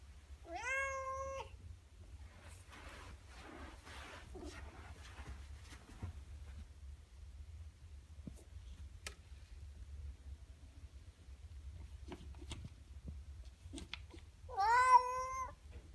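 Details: Norwegian Forest cat; meow; asking to be let outside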